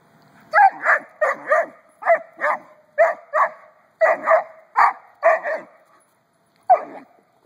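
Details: Doberman Pinscher puppy's first experience with a noisy rubber ball, a burst of rapid squeaky notes in quick pairs, about a dozen in five seconds, a pause, then one more.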